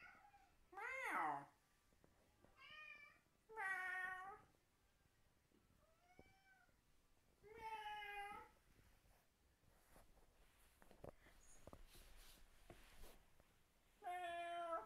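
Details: Fang the cat answers people's fake meowing with his deranged meow indoors: loud, harmonic, drawn-out meows near 1, 4, 8 and 14.5 seconds, with softer, shorter meow-like calls between them in a quiet room.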